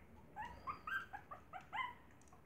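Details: Maltese puppies beside their mother give short, high whimpering yips in uneven clusters, each cry bending upward then down, over a steady low background hiss.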